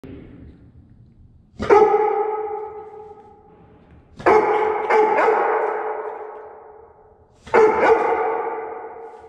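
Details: A guide dog sings in a stairwell in long, steady howls, each one ringing out and fading in a strong echo.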